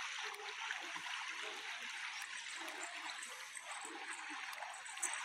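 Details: Steady trickling and gurgling of a stream fills the recording, with no animal voice.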